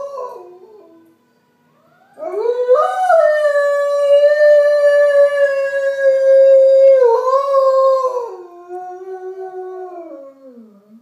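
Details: Tovik, an Alaskan Malamute, howls in response to an ambulance: a rising opening swells into one long, steady, sustained howl. It breaks briefly upward, then slides down into a fading, falling tail. The room around is otherwise quiet.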